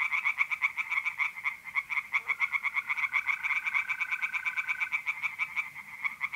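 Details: Tree frogs singing in a pond at night in mid-April in north-east Italy: rapid, evenly pulsed rattling croaks running throughout, with a steady, pure trill of mole crickets for about two seconds midway.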